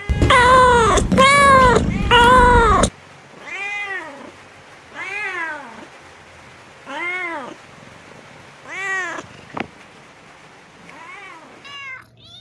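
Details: Cats meowing and jumping around while looking for food: three loud overlapping meows at the start, then a string of softer arched meows about every one and a half seconds, with a brief click.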